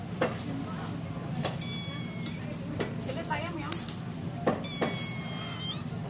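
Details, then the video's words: Young kitten separated from its mother while still nursing, giving two thin, very high-pitched mews, the second longer and wavering, amid sharp taps and clicks and a low background hum. "tega orang sekarang memisahkan anak kucing dan induknya"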